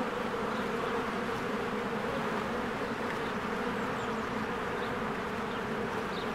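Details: Springtime swarm of honeybees busy at the entrance of their hive, Canon EOS R recording. The buzzing is thick and continuous, a layered drone holding level throughout, with faint high specks of other sounds.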